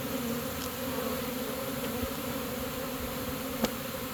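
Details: Swarm of honey bees entering a new home after being caught, giving a continuous low, even hum with a bright overtone band, plus a couple of brief clicks.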